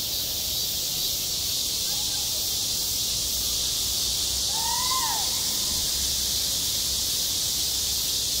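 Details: Summer cicada chorus over a school playground: a constant high-pitched electric buzz, broken only by one short, clear, two-part rising-falling chirp near the middle, likely a bird.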